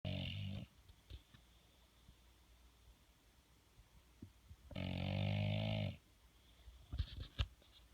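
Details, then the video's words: Sleeping bulldog snoring indoors, its snores likened to farts: a loud, raspy rumbling snore at the start and another lasting about a second near the middle, with a few soft clicks and quiet breathing between. "Snoring/Farting bull dog"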